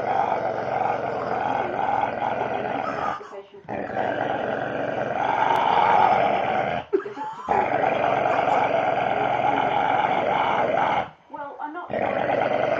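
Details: Staffordshire Bull Terrier growling while being playfully handled: long, sustained rumbling growls of about three seconds each, broken by brief breathing pauses.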